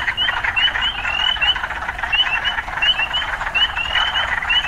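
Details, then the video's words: Frog chorus amid urban surroundings: a loud, unbroken buzzing din overlaid with quick, bright rising chirps in bursts of two or three, repeated through the passage. "Urban Frogs"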